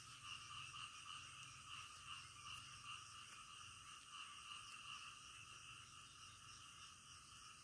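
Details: Frogs calling in the middle of the night: a dense, continuous chorus of rapid, pulsing croaks layered in several steady bands, with brief louder notes standing out every fraction of a second.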